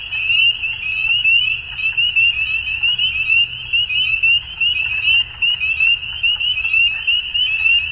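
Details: A dusk frog chorus of many overlapping callers, each giving quick upslurred high chirps, forming a continuous shrill band with slight pulsing in loudness and a soft low hum underneath.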